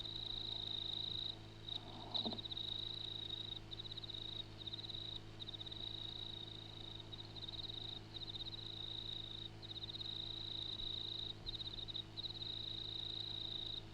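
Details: At night in the Grenfell district, NSW, Australia, an insect on the ground calls with a steady, high, ringing trill broken by brief pauses.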